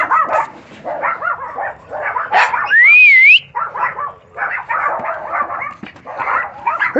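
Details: Chihuahua puppy, female, determined to dig under a fence; rapid bursts of high yappy barks in quick runs, broken once by a rising and falling whistle-like squeal, then more yapping.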